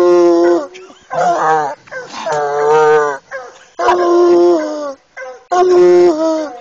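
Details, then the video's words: Bluetick Coonhound, an eight-year-old male, on a caged coon, bawling in a rhythm of about forty bays a minute; each call is a rich, harmonic, half-second to one-second bawl, some falling in pitch at the end. "Male Bluetick on cage coon"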